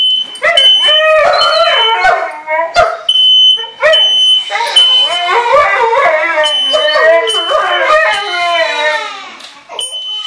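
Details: Siberian Husky and German Shepherd, pet dogs, howling at a smoke alarm set off by cooking: overlapping wavering, rising and falling howls and yips from two dogs over the steady high electronic beeping of the alarm.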